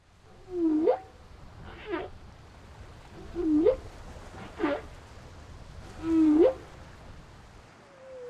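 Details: Humpback whale song off the leeward side of Maui, Hawaiʻi, on the breeding grounds in peak season: a male sings moaning, upswept cries repeated every few seconds over a faint chorus of distant singers.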